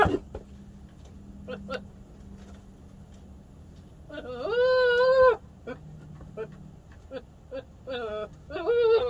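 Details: A male Nigerian Dwarf goat gives a long, wavering, nasal bleat, then a few shorter strained bleats, over a low steady hum with faint clicks; the owner finds these noises weird.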